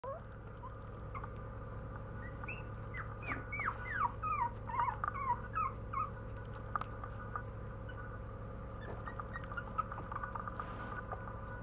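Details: Puppy whimpering indoors: a burst of short, high, wavering whines from about three to six seconds, then a few faint whines later, over a steady low electrical hum.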